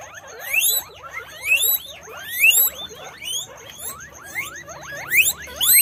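Several guinea pigs squeal together, with shrill rising squeaks overlapping about once a second.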